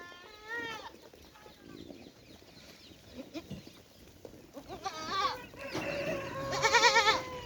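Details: Goats on a farm in Rajasthan, India: a short wavering bleat early, then overlapping, shakier bleats building toward the end, with scattered farmyard noises between.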